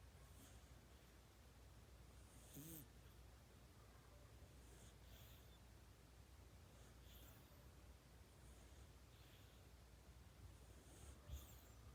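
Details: Kitten snoring in its sleep, human-like. Gentle airy snore bursts repeat roughly every two to two and a half seconds, low and quiet, with steady room hum underneath.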